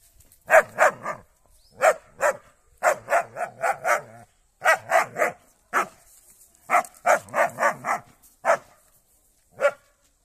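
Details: German Shepherd attacking a cow, giving hoarse, rapid barks in irregular runs of two to four, with short gaps between the runs and a final lone bark.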